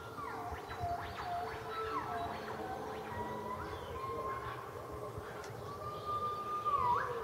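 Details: A gibbon gives clear morning whooping hoots that swoop up and down in pitch, repeated in a steady series.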